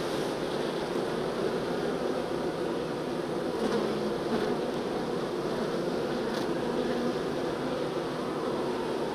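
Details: Steady, thick hum of many honey bees during transfer from a nuc to a hive, a continuous low droning buzz with faint brief clicks of handling now and then.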